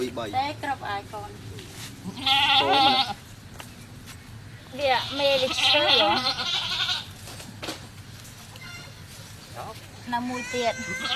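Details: Goat bleating during a birth at a cow farm, with a newborn kid just born. Wavering, quavering bleats come in two long bursts, with shorter calls around them and some background speech.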